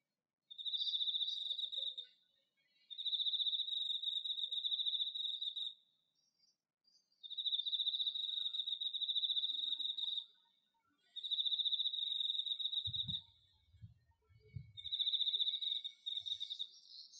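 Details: Cricket in autumn in an organic home vegetable garden, recorded on an iPhone: high, steady trilled chirping in bursts of two to four seconds separated by short pauses, with a few low thumps near the end.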